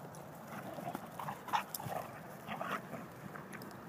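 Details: A Dalmatian, Olley, wrestles roughly with a German Shorthaired Pointer, Lola, knocking her down. Short grumbling growls and huffs come in quick bursts, peaking around the middle, over steady background noise.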